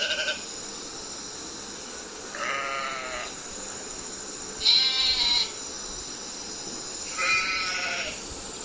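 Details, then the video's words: Sheep giving three quavering bleats, each under a second, roughly two and a half seconds apart, with constant faint hiss between them. "Sheep Sound Effect"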